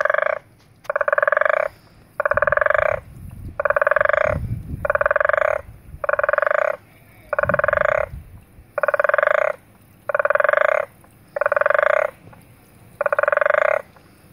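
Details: Frog at Zulu Nyala in KwaZulu-Natal, South Africa, recorded February 2015, giving steady rattling pulsed croaks, each roughly a second long and repeated about every 1.3 seconds, with soft low rumbling bursts in the background.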